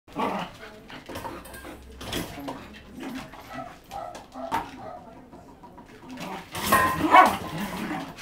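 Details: Sixteen-month-old female Scottish Terrier, a former breeder dog newly in rescue, happily playing with her food bowl as a toy; clattering knocks throughout, then a short harsh bark burst near the end.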